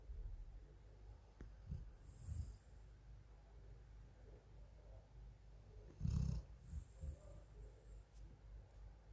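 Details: A female Golden Retriever asleep indoors in Thailand gives a few low, rough snoring rumbles, each around half a second long and spaced irregularly, over a quiet background.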